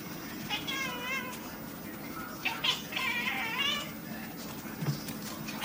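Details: Female pet cat, recorded on an iPod while playing with her owner, which is said to bark and growl like a dog; a run of wavering, harmonic calls, some drawn out, with quieter rustling between them.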